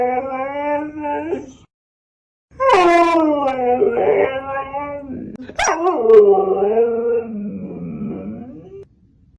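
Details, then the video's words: Siberian Husky talking: expressive howling and yodel-like vocal phrases in several bursts separated by a short silence, with a sharp yip near the middle. "FUNNY TALKING HUSKIES"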